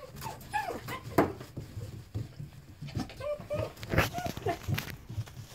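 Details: Dachshunds, first brought in with a distemper diagnosis and now healthy after over three weeks of separation, whine and whimper excitedly with short rising squeals and snuffling as they reunite; the smaller ones get jostled.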